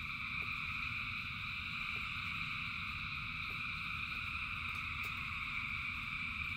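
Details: Thousands of frogs singing in the rain, a dense, unbroken chorus of layered droning trills at several pitches that never pauses, with scattered faint clicks and a low rumble of rainfall beneath.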